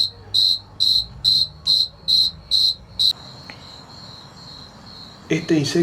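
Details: A male cricket in Argentina sings high, clear chirps repeated about twice a second, made by rubbing its wings to attract a mate.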